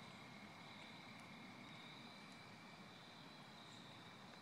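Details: A chorus of crickets after rain in autumn in Connecticut, 4 October 2014, gives a steady, high, ringing trill over a low background rumble.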